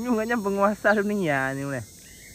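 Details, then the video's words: Tame cattle herd walking home along a village road toward their shed with their herder; a rich, voiced moo in two parts, a short first note, then a longer one that slides down in pitch as it ends. "Suara Sapi Moo"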